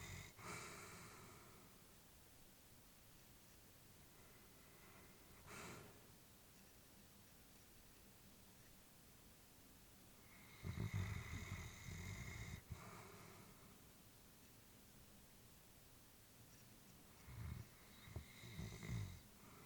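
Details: Sleeping elderly Labrador bitch, her breathing mostly quiet with a few louder, rough snuffling exhalations, one long breath lasting nearly two seconds midway and a cluster of snorting breaths near the end.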